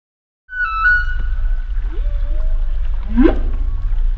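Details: Humpback whale vocalizing: a long, high, steady whistled tone that drifts slightly downward, then a softer rising moan and a sharp upward sweep near the end, all over a constant deep underwater rumble.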